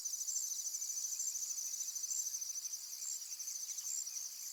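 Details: Crickets by a tranquil pond, many calling together in a steady high-pitched trilling chorus with shimmering pulses. A brief faint whistled bird note sounds near the start.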